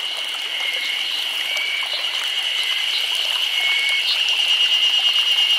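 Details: Cicadas chorus through a summer day in Nagano Prefecture, Japan: a dense, steady high-pitched buzz with a rapid shimmering pulse, unbroken throughout and slowly swelling in loudness.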